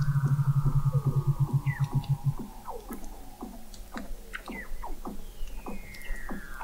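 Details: Weddell seals singing under sea ice in McMurdo Sound, Antarctica, November 2017, recorded 21 m below the ice; rapid low pulsing train, then many quick downward chirps overlapping long gliding descending whistles.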